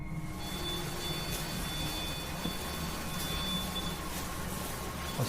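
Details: A constant low rumble runs under thin, steady electronic tones, like a vehicle or machine running. No animal voice is heard.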